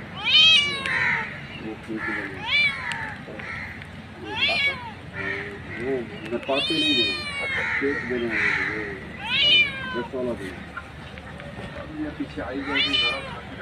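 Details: Street cat mother calling her kittens with a rapid series of clear, arching meows, several close together, some short and some drawn out, over a steady outdoor background hiss.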